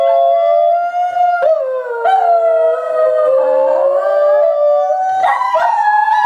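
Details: Parent dog and two offspring howl in chorus, long drawn tones overlapping and sliding slowly up and down, one voice dipping lower mid-way, with brief yips and a rising surge near the end.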